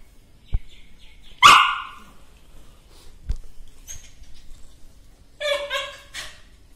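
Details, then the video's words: Dog giving one sharp, loud bark early on, a pause with soft knocks, then a short cluster of high yapping barks near the end. "Dog Barking"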